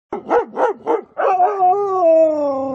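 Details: Siberian Husky playing in fresh snow, having the zoomies: four quick harmonic barks in a row, then a long sliding howl-like vocalisation that falls slowly in pitch.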